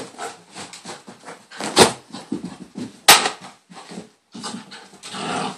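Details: Bailey, a female pet dog, in a hyper moment indoors in a small room: rapid breathy snuffles and panting bursts, broken by two sharp, loud bark-like yelps in the middle.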